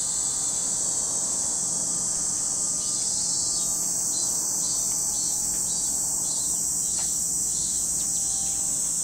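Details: Cicadas singing by Lake Kamo in Sado City, Niigata, Japan, a constant high-pitched drone; midway a pulsed buzzing joins in, with a few brief faint chirps scattered through.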